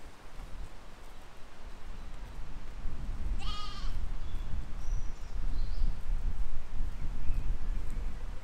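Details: Sheep and lambs grazing in a field in spring 2020; a single short, quavering baa is heard, followed by faint high chirps, all over continuous low wind noise.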